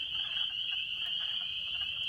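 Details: A dense chorus of thumbnail-sized spring peepers, tree frogs calling to mates in spring in Maine, April 12, 2017; high, piercing peeps merge into one shrill, unbroken ring.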